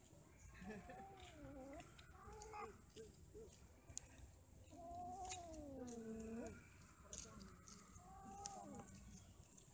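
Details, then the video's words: Domestic cats mating and quarrelling, trading wavering, drawn-out yowls with harmonic overtones, one long undulating cry in the middle, shorter moans around it, plus occasional sharp clicks. "8 Kucing lagi Kawin ,Cat merried , Cat playing, Cats mating, Cats quarrel"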